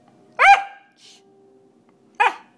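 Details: Pembroke Welsh corgi, one year and seven months old, indoors, letting out two short, sharp yelping barks nearly two seconds apart, separated by a quiet pause.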